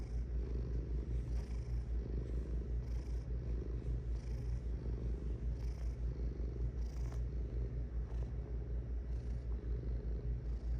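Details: Cat purring: an unbroken low vibrating rumble with rapid pulses, rising and falling in quick breath cycles.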